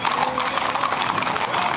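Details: Horses in the yearly May procession and parade of San Isidro Labrador, hooves clattering in a quick, uneven clip-clop over a steady crowd murmur, with faint voices in the background.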